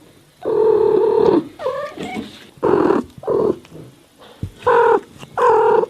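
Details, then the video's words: A cat giving a long drawn meow, then shorter quavering mews and a pair of clipped meows, about every second near the end, indoors with little background noise. "Мяуканье кошки Звук мяукающей кошки"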